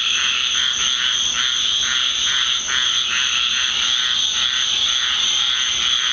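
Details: Deep South backyard at night after a rainstorm, frogs calling in a loud chorus; throbbing pulsed calls roughly twice a second over a continuous shrill ringing, many callers blended together.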